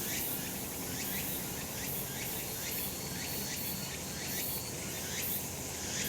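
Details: On a sunny summer mountain, massed cicadas produce a shimmering high buzz punctuated by rhythmic rising sweeps about every 0.7 seconds, with a thin steady tone running through the middle stretch.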